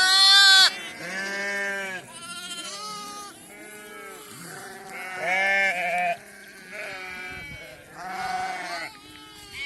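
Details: Flock of sheep receiving PPR vaccine, a ewe calling for her young: repeated quavering bleats, some strained and high, come in overlapping waves separated by brief quieter gaps.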